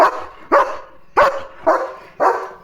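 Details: German Shepherd dog at home barking at something spotted outside near a vehicle: five loud, rough barks spaced about half a second apart, each sharp at onset and quickly fading.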